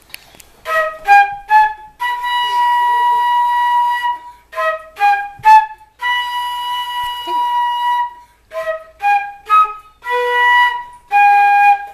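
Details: A flute plays a melody of short repeated notes and longer held tones in a quiet room, with no animal voice heard.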